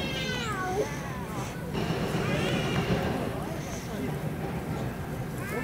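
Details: Stray cats fighting in a Russian city street, giving long wavering, rising and falling yowls that overlap and swell, set against a steady outdoor noise background.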